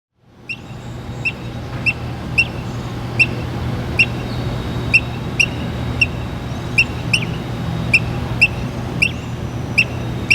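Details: Squirrel perched on a water valve, chirping like a bird: short, sharp, high chirps repeated steadily about every half second or so, fifteen or more in a row, over a low constant rumble.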